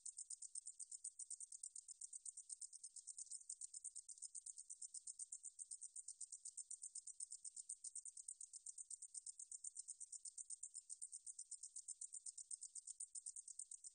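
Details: Continuous shrill buzzing of a meadow katydid, recorded by the National Institute of Biological Resources in 2020: a rapid pulse train that is high, thin and even, running steadily with no breaks and a quiet background.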